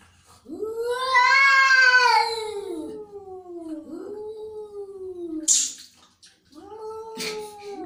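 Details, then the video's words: Angry cat letting out a loud, harsh rising-and-falling yowl, then two shorter descending moans, with a sharp hiss-like burst in between. "Angry Cat Sound"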